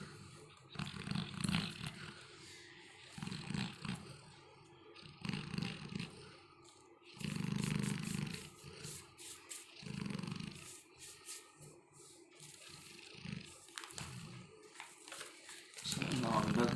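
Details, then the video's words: Felix, a Labrador Retriever, relaxing in deep sleep, snores in low rumbling bursts roughly every two seconds, some longer and louder, with quiet gaps between and faint background noise. "Snoring of my Labrador Felix"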